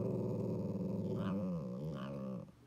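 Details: Pet dog making a drawn-out, low growling vocalization while asking for food, a sound it now makes often without prompting; a steady rumbling voice for about two and a half seconds with a couple of brief rising inflections near the end.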